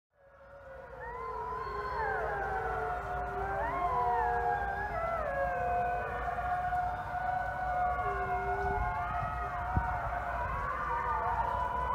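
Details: Thirty wolves howling together at sunset at the Wolf Conservation Center in South Salem, New York: a dense chorus of overlapping long, smooth howls, many voices sliding up and down at different pitches, over a low steady rumble.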